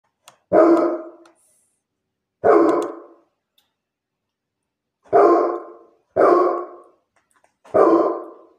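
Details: Great Pyrenees barking, five deep, booming single barks with long gaps, two spaced about two seconds apart, then three more in quicker succession, otherwise quiet.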